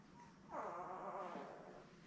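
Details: Newborn Lab puppy from Belle's litter of seven, born May 24, 2021, filmed on a live puppy cam; a drawn-out whimpering cry of about one second, wavering then fading, with low background hum.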